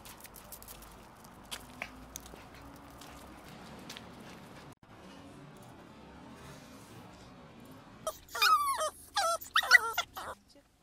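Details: Maltese dogs at home, excited on the day they go out for a walk: after a long quiet stretch with faint room noise, a burst of high, sharp, yelping barks with rising and falling whines fills the last three seconds.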